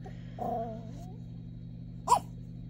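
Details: A Yorkshire Terrier sniffing under a china cabinet gives a drawn-out, wavering whine, then a single sharp, high bark at something in the corner; the owner suspects the rain or a mouse.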